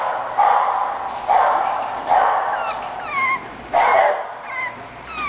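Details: English bulldog puppy alternating rough yelps with high, thin whining squeaks that slide upward, several in a row, over a steady hiss.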